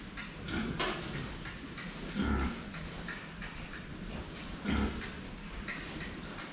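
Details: Drinking pigs nicknamed the Saigo-chans, seen from the front, utter three short, deep grunts spaced about two seconds apart against a background of water sounds and sharp clicks.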